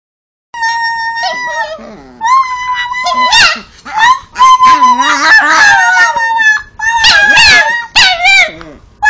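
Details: Pet Chihuahua named Cosmo Kramer "talking" as if saying "I love you": wavering, whining howls that rise and bend in long, sliding phrases, with short breaks between bursts and a faint low human voice beneath.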